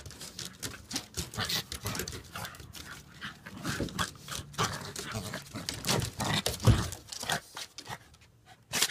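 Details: Dogs wrestling in play on a deck: low rumbling growls mixed with panting, huffs and scuffling thumps, coming in uneven bursts with a sharp noise at the very end.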